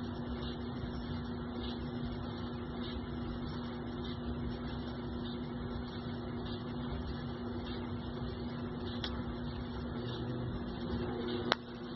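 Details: A steady electrical hum and mechanical drone fill the room, ending with one sharp click; no animal voice.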